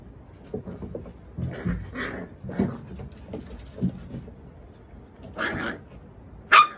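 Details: Playful puppy on a deck gives low, grumbly growls and scattered soft yips amid scuffling, with a louder burst midway and one sudden sharp, high yelp at the end.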